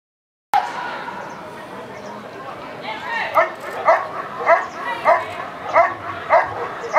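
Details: Eran von Houthrack, a dog in protection work at the NIAK 2014 trial, barking; after a few quiet seconds the barks come in a steady run, roughly every half second, with crowd murmur beneath.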